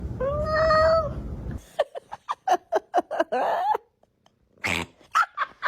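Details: Domestic cat giving a drawn-out, wavering harmonic meow lasting over a second, followed by a rapid series of short clicking pulses and brief noisy bursts.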